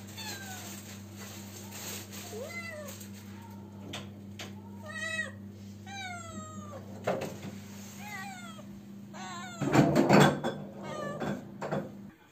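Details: Domestic cat unable to find a mate, calling out; short rising and falling meows scattered through a busy scene, with a steady low hum, knocks and clatter, and a loud burst of noise near the end.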